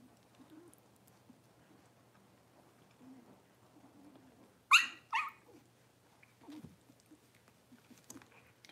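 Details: Cavalier King Charles Spaniel puppy, six weeks old, during deworming and toenail trimming in a litter pen; two sharp, high yelps about half a second apart break a near-silent stretch, followed by faint scuffling.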